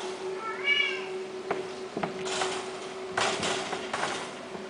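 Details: A single high, arched mew from a Himalayan kitten, followed by knocking, rustling and handling noises against a constant low hum.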